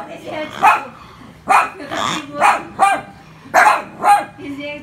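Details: Poodles, apparently frightened by a pig, give a run of short sharp yapping barks, roughly seven or eight bursts in five seconds, some paired close together, each with a bright harmonic ring over a low background murmur.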